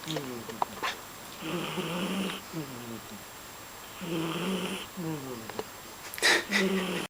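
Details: Sleeping cat snoring, with rough, rasping breaths alternating with a hissy, wheezy sound in repeated cycles, plus a brief sharp noise near the end.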